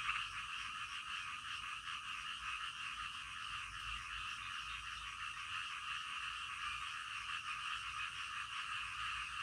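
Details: Night-time frog chorus, many frogs croaking together in a steady, continuous pulsing band, the overlapping calls blending into an even, unbroken drone.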